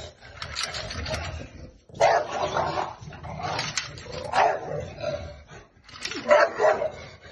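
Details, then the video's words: Bulldogs Bruno and Rosco respond to rattling coat hangers with drawn-out, moaning barks in three rising bursts separated by short pauses, with faint clinking and a little speech in the background. "Bulldogs React to Coat Hangers"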